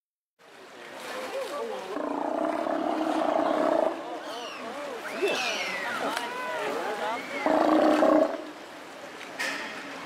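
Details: Steller sea lions calling together in a loud, overlapping chorus of harmonic roars and groans, with several rising and falling wavering calls in the middle and a strong drawn-out bellow near the end, plus faint splashing.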